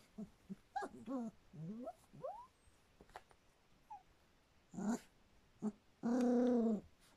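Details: Three-week-old Standard Poodle puppies give rising and falling whimpers and squeaks, then a steady, harmonic whine near the end; soft background rustle throughout.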